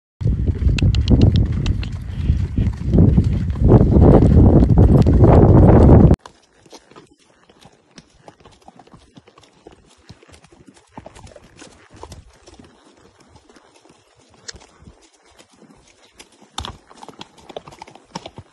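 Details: Gidran and Holsteiner horses on a short trip: fast, steady clip-clop of hooves fills the first six seconds, then it drops to near quiet with faint scattered knocks and rustles.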